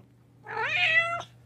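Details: Cat giving a single clear meow lasting under a second, rising at the start then holding a steady, slightly falling tone with rich harmonics, against a faint low hum in a quiet room.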